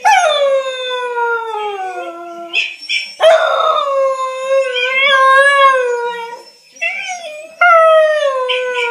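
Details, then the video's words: Wylee the whippet, a female dog, howls on hearing her own voice for the first time: loud sustained wavering howls, one sinking low before a sharp new rise, then a steady drawn-out wail and a final falling note. "Wylee the whippet hears her self for the first time on YouTube"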